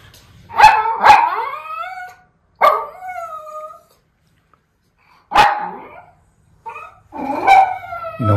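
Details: Two white miniature Schnauzer brothers, just turned seven, bark excitedly from indoors at a muskrat visiting outside in Aroostook County, Maine, in February. Loud harmonic barks come in bursts with pauses, sometimes yelping, and a person speaks nearby.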